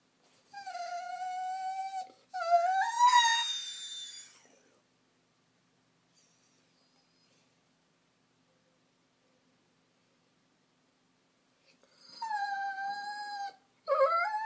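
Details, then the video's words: Lonely Vizsla gun dog, a female, crying for attention indoors: high whined cries with rich harmonics, a long steady note then a rising one, a long silent gap, then more drawn-out whines near the end. "Tyka the lonely Vizsla"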